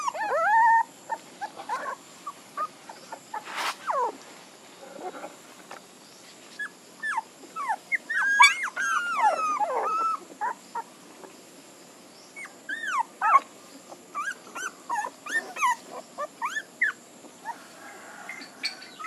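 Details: Puppies give scattered short whimpers and thin squeaky yelps, some sliding steeply downward. The calls are spread irregularly across a long stretch, with a few louder clustered cries in the middle.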